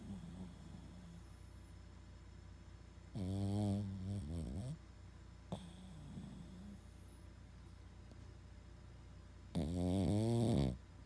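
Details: Loud snoring from a Boston Terrier: a rough, rattling snore ending in a sputter, quiet breathing, and a second heavy, buzzing snore roughly six seconds later, indoors.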